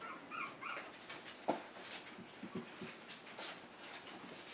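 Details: One-month-old puppies in a play pen indoors, one having escaped; short high whimpering squeaks near the start, then scattered soft yips amid rustling and patter of small paws.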